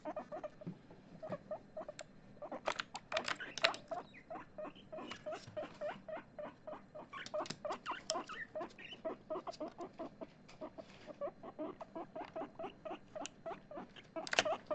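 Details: Pet guinea pig Chip, excited, keeps up a long, busy stream of quick squeaks, several per second, with bursts of louder, noisier notes at the start and end and some rustling between.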